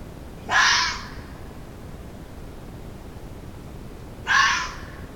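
A fox gives two harsh, hoarse alarm barks several seconds apart.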